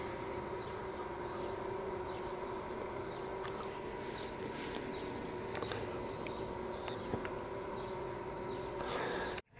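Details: Honey bees that strayed from their hive being coaxed back into it on 26 May 2023; a steady low droning hum holds throughout, with brief high bird chirps and sharp clicks over it, ending abruptly.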